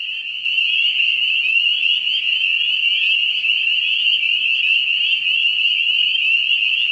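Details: Spring peepers, the first frog to call in the year in Ontario, heard from March to later in May: a dense, high chorus of many overlapping peeps merging into a steady shrill ringing, with short upslurred notes showing above it.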